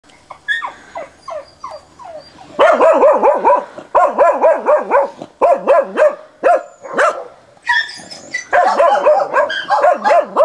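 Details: Dog barking very vigorously and persistently at a wild boar, recorded 29 December 2017: harsh, harmonic barks in fast bursts of three to six, several per second, with brief higher squeals and whines between bursts.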